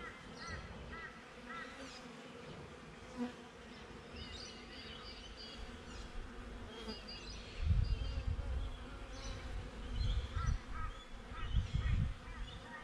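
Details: Honey bee hum beside a hive, captured by a GoPro set outside it: a continuous droning buzz under bursts of low wind rumble that swell in the second half, with twittering birds in the background.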